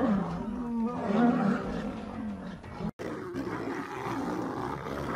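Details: Female lions attacking a male lion in a struggle over a mate, giving rough rising-and-falling snarls and growls, broken by a brief abrupt gap before continuing as a lower, noisy grumble.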